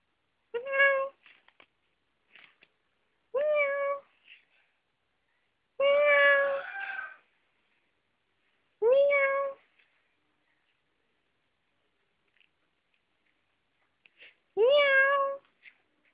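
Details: Dongyi, a pet cat indoors, meows five times across about sixteen seconds. Each call is a clear, drawn-out, tonal mew, some with a slight rise then a level hold. Soft clicks and light taps fill the gaps in a quiet room.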